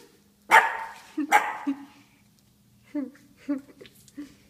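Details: Shih Tzu puppy, four months old, barking at a statue it mistakes for a real person: two loud, abrupt barks close together, then quieter grunting sounds and a woman's voice calling the dog away.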